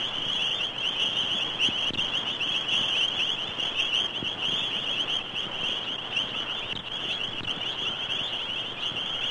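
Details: A dense, unbroken chorus of toads and frogs at a South African homestead in Zulu country, with countless shrill, high trills merging into a steady ringing drone; a 1956 recording.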